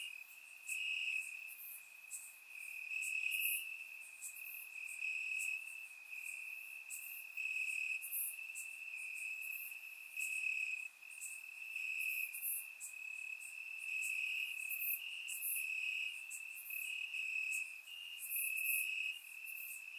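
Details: Warm summer night in Bulgaria, crickets chirping in the grass: an almost continuous high-pitched trill that pulses gently in loudness, several insects overlapping, with scattered crisp clicks, recorded through a surround microphone.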